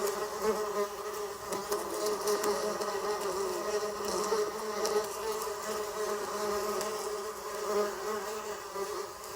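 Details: Steady, throaty bee buzz with a faint pulsing waver, sustained throughout with scattered light taps behind it.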